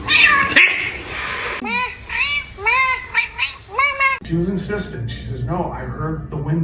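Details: Domestic cat giving a series of five or six rising-then-falling meows, each about half a second long and closely spaced. They follow a loud noisy burst at the start. Lower, muffled sounds and speech-like noise come after.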